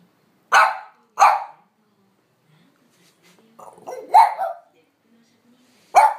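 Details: ['Impatient French Bulldog urging its owner to go for a walk: two quick sharp barks, a pause, a low grumbling lead-in to a louder bark, then another sharp bark at the end.']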